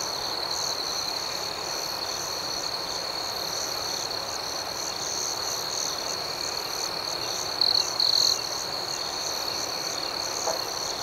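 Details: Crickets chirping at night: an even, high, ringing drone with a softly pulsing layer above holds steady. Near the end, two brief, louder trilled chirps break through.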